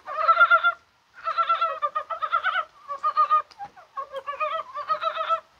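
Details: Dense chorus of Korean brown frogs on a mild, rainy 21 January: overlapping trains of quick, knocking pulses run almost without a break, with one short silence near the start.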